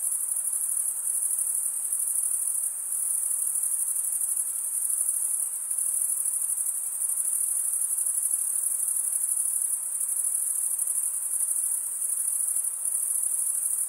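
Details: Male crickets stridulating, rubbing one wing's edge across the toothed vein of the other, produce a constant high shimmering trill of rapid pulses, with slight dips in loudness every few seconds and nothing else audible.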